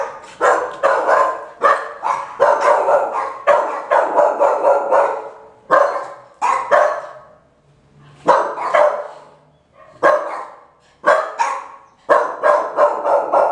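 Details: Five-month-old female Boxer puppy giving a long run of rapid, harsh barks, some in tight clusters of two or three, with brief pauses and one longer silence midway; the barks are loud and rough with a yelping edge.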